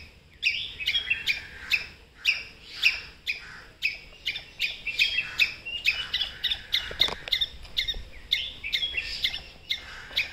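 A squirrel gives sharp, chirping kuk alarm calls, repeated about twice a second.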